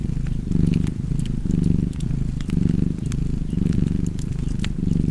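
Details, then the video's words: Purring cat by a fireside, a soft throaty rumble swelling roughly every second in time with breathing, over light crackling of burning logs. "Cozy Purring Cat ASMR / Kedi Mırlaması"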